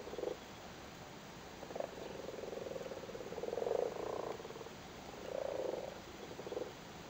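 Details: Irish common frogs, males sitting on spawn in a flooded cattle grid in Cork, Ireland, during spawning season: soft purring croaks, several short grunts and longer rattling trills about a second long, over a steady background hiss.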